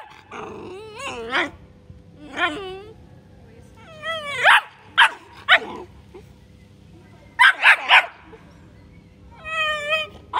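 A Bull Terrier puppy gives high, yelping barks and whiny yips in uneven bursts.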